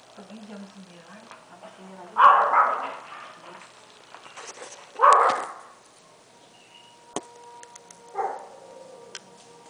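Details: Golden Retriever puppy, six weeks and five days old, giving two short, loud, hoarse barks about three seconds apart, then a softer yelp near the end; quiet human talk murmurs underneath.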